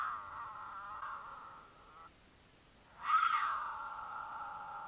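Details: Mountain lion caterwaul in Utah during courtship, a female in heat calling loudly to attract a male: long drawn, harmonic wailing notes held for seconds, a brief pause, then a louder rising yowl that settles into a steady wail.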